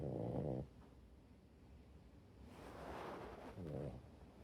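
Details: Rescued French Bulldog snoring while asleep on its owner on a rainy day when its walk was cancelled; a buzzy, low harmonic snore in the first half second and a shorter one near the end, with soft breathy noise between.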